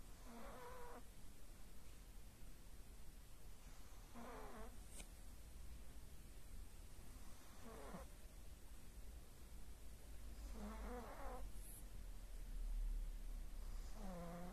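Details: Pug Aya sleeping and snoring steadily: five wheezy, harmonic snorts spaced about three to four seconds apart, each under a second long, against a quiet background hum and a couple of small clicks.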